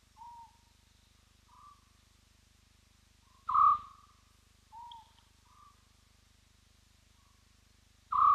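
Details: A spotted hyena at Roy's Dam, filmed on a live wildlife cam, gives a series of short, hollow whoops spaced a second or two apart.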